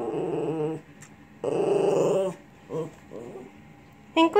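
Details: Pet Lhasa Apso 'talking' indoors with grumbling, growl-like vocal bursts, two longer rough bursts then short murmurs, ending in a brief higher yelp.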